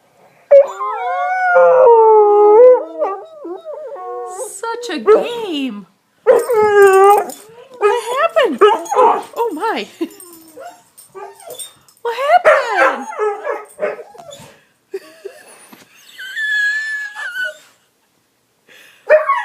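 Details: Pet dog Sully, indoors, throws a temper tantrum after pushing his bone under the sofa: wavering, whining howls rise and fall in short bursts, broken by pauses, with a woman's voice talking over and between them.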